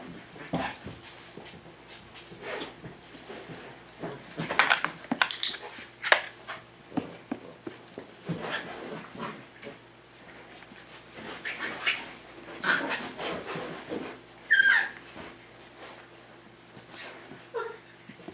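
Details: Five-week-old Tamaskan Dog puppies indoors playing the Puppy Culture box game: scuffling, clicking claws and soft panting, with a brief high whimper near the end in a small room.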